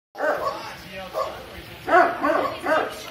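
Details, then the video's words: Dog barking indoors in a second-floor guest suite on 4 May 2019: a few short, sharp barks with harmonics come in a quick run near the end, after quieter voice-like sounds. "Dog Barking"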